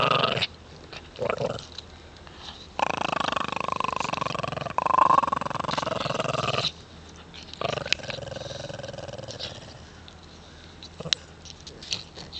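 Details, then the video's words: Shih Tzu boys from the Canadian mountains battle over a stick on an ice road; long stretches of rough, continuous snarling growls with short gaps, some quieter rumbling between, and faint background noise. "Shih tzu boys Canadian mountain born battle for a stick on the ice road"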